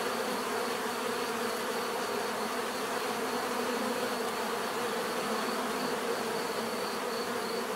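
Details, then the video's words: Many bees droning together, an unbroken broad buzzing texture with a faint high steady tone, level and unchanging from start to finish. "bees therapy relaxing natural buzzing sound"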